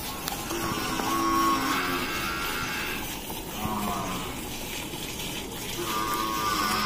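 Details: Gir cow at milking time in Rajasthan, giving drawn-out, low, harmonic moos that rise and fade, heard over steady background music and the hiss of milk streaming.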